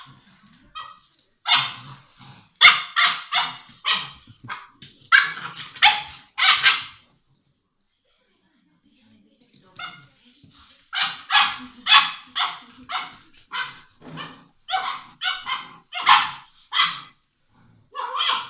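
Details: English Mastiff puppies, six weeks old, barking while they play with each other: two bursts of rapid, sharp yaps, each several seconds long, separated by a quiet gap of about three seconds.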